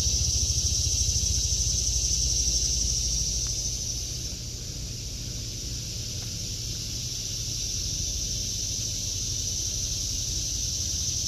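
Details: August 2023 garden with cicadas droning, an even, piercing buzz that dips a little in loudness midway and then recovers, steady low background hum of traffic beneath.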